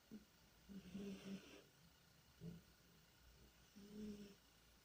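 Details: Sleeping cat named Tikhon snores and moans while dreaming: four breathy snore bursts, each with a low voiced hum, at uneven intervals of about one second, against faint steady hiss.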